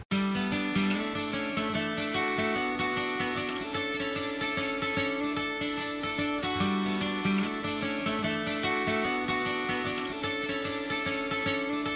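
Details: Plucked acoustic guitar music plays throughout in a steady rhythmic pattern, with no animal sounds.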